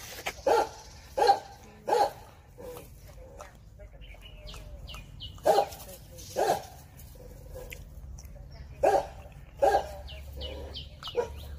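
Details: Confronting a viper, a Jindo dog lets out clusters of two or three sharp barks separated by pauses of a few seconds, with quiet background noise.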